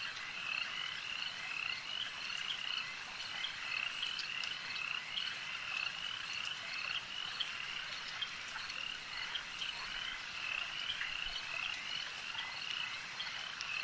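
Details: Frogs at a lake keep up a thick chorus of sharp, high chirping croaks in quick runs, with occasional clicks and a soft wash of ambient noise.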